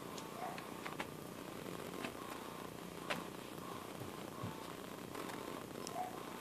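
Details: Soft, steady purring of a domestic cat, a low continuous rumble broken only by occasional faint clicks and taps.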